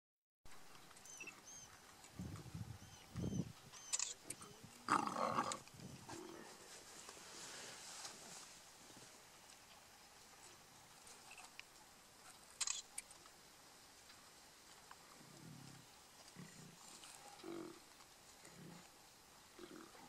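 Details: Lions of a mega pride fighting over a buffalo feast in Kruger National Park: low, rough growling bursts near the start and again toward the end, with brief high bird chirps and quieter stretches between.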